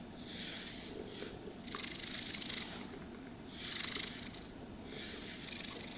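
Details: Purring house cat being brushed, its deep steady rumble running throughout while four long hissing brush strokes pass across its coat, no speech.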